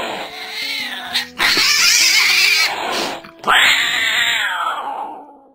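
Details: A domestic cat hisses in two harsh, breathy bursts over soft background music; hissing is the sound a cat makes when it is threatening.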